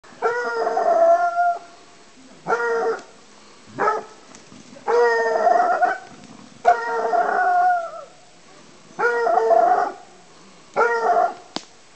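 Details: Bleu de Gascogne hound, a Petit bleu de Gascogne, baying while hunting wild boar in an enclosure; long drawn-out howling bays with rich ringing harmonics arrive in bursts of one to two seconds, separated by short pauses.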